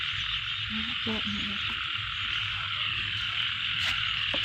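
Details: Frogs in a rice field keep up a thick, unbroken high buzzing chorus; a brief faint voice-like murmur and low background hum sit beneath the calling.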